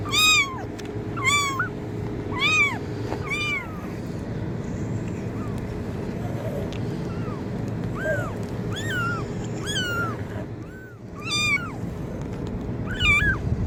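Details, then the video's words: Kitten meowing, offered as a sound to attract cats: a series of short, high, arching meows with rich overtones, some rising then falling, repeated every second or so in bursts, over a steady low hum and background rumble. "kitten meowing sound effect| cat meow sound effect| cat sounds to attract cats"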